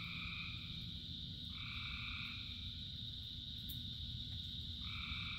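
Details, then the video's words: A rainy-night frog chorus. A continuous high hum runs throughout while a long, steady two-toned call sounds for about three seconds, then starts again near the end, all over broad rain noise. "Frogs in Rain 2 Hours of Frogs, Thousands of Frogs Singing"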